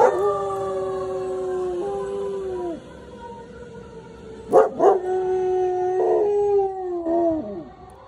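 A German Shepherd–Malinois dog gives long, steady, mid-pitched howls that sag at the end.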